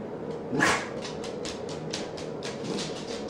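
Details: Pet puppy, a male that sneezes when frustrated, lets out one short explosive sneeze early on, followed by repeated light scratchy rustles and shuffling indoors.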